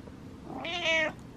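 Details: Pet cat meowing at night to demand its owner's attention: a single clear, drawn-out meow of about half a second, rising and then falling, in a quiet room.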